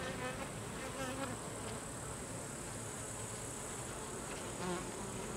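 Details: Worker Carniolan honey bees driving drones from the hive produce a steady swarm drone, with individual louder wingbeat tones passing near one second and again near four and a half seconds.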